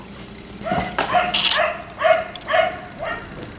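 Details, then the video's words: Black Labrador retriever kept outside late into the night, giving a short run of five or six loud, ringing barks about half a second apart, rough and harmonic, over low background noise. "Dog barking until 1am"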